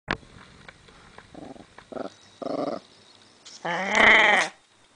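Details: Female Chihuahua guarding her bone, giving short, low, pulsing growls in bursts. The last growl is a louder, rising snarl lasting about a second.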